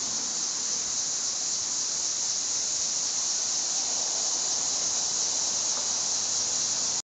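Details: Various Tibicen cicada species singing loudly from trees in Trenton, New Jersey, a steady, high, hissing buzz that carries on without a break.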